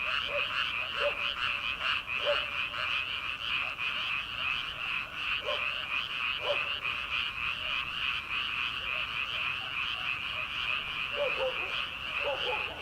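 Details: Rice-paddy frogs in early summer, late at night before planting season: a constant buzzing chorus of quick high-pitched croaks, with occasional lower croaks popping out in small clusters.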